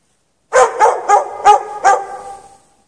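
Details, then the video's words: On the night of 3 March 2014 a dog chained out in the snow without shelter gives five quick, evenly spaced barks within about one and a half seconds, the last one fading with a lingering echo. "Dog barking chained out in the snow"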